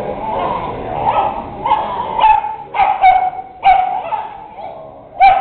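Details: Two dogs, a Bedlington and a Wheaton, playing together: sharp yips and barks with whiny, growly tones, bursts coming about every second with short pauses between.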